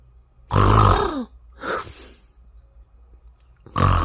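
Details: Sleeping Bengal cat snoring: loud, deep rasping snorts with a falling throaty tone, three bursts about every one and a half seconds separated by quiet pauses, in a small indoor room.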